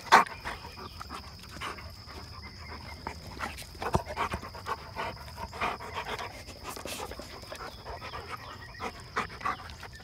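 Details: Dogs of a pet pack outdoors on a quiet morning, a group named Hannah, Midnight, Remington and Odin, greeted at the start; breathy, irregular panting bursts continue throughout, over a steady high whine and faint bird chirps.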